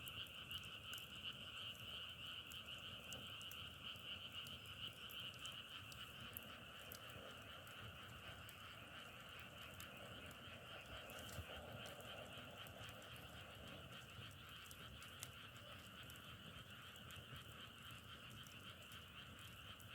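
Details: Many frogs croaking at once in the open, a dense, unbroken ringing trill over twenty seconds, with faint rapid ticking and a few sharp clicks on top.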